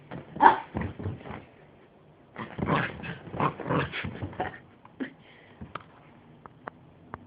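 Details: Pet miniature pinscher romping on a bed like crazy, letting out a burst of excited, rough barks and yips in two bouts, with growly snorts between them. A few thin squeaks trail off at the end.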